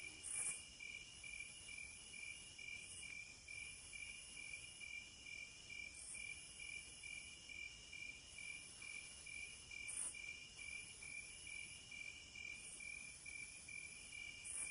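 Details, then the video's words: Crickets in a dense chorus: steady, high, shimmering trills layered at several pitches, pulsing continuously, with brighter chirps popping out every few seconds over a soft background hiss. "Cricket Sounds For Sleep"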